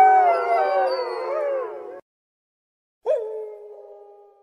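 Wolves howl together in long, wavering, overlapping tones, then one voice holds a steadier note.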